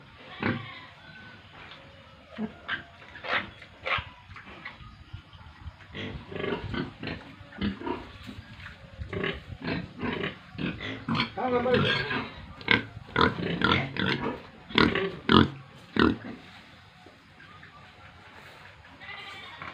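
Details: Farmed pigs with piglets in Tripura, heard grunting and oinking in quick, irregular short bursts, roughly two per second, which grow busier and louder midway before tailing off.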